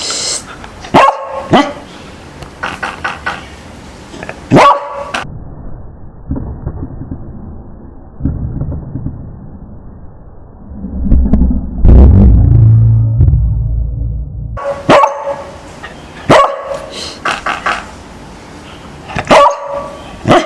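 A beagle lets out sharp, loud barks in quick bursts, with odd low rumbling sounds in between.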